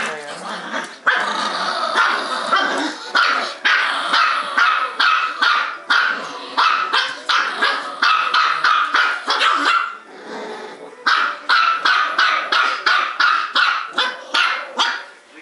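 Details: Two small pet dogs, a Bichon Poo and a Maltipoo, barking non-stop indoors while playing and biting each other; rapid sharp barks repeated nearly three times a second in dense bursts, with a brief pause near ten seconds.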